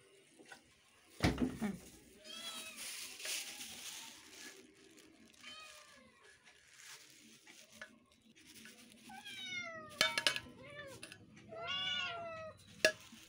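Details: Several cats of one household meowing indoors; a series of short rising-falling harmonic meows, some overlapping in quick succession, with clatter and a brief voice in the room.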